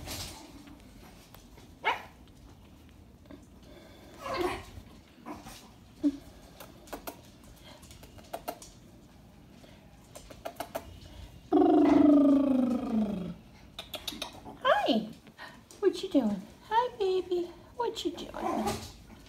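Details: Imperial Shih Tzu puppies, two baby boys at two and a half weeks old, indoors; a drawn-out wavering whine with stacked harmonics, then several short rising and falling squeaky whimpers, with faint Spanish speech in the background.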